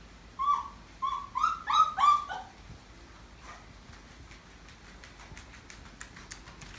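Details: Kong-i, a Maltese dog fussing indoors after being left behind while its owners are out shopping, gives five quick, high-pitched whines in a rising series lasting about two seconds, followed by faint clicks and rustling.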